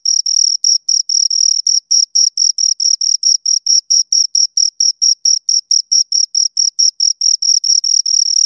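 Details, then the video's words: Two crickets chirping steadily, a high-pitched pulsed trill of short even chirps, about two or three each second, with a faint higher overtone and no other sounds. "Two Crickets Chirp Sounds"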